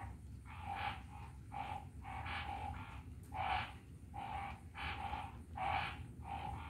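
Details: Phyllomedusa burmeisteri giving a series of rasping, croaky bursts, each under half a second, spaced about a second apart and fairly steady, with a constant low background hum.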